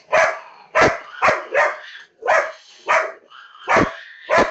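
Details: A female labrador retriever reacts to a cat on a PC screen with heavy, full barks, some doubled, about eight in four and a half seconds, with brief lulls between them.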